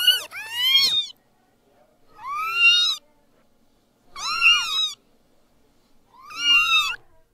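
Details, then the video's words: A newborn kitten gives four separate high, harmonic meows, each rising then falling, about every two seconds with silence between. The first meow is doubled and sharper. "Meowing Sound Compilation 2023 | Listen Cute Newborn Kittens"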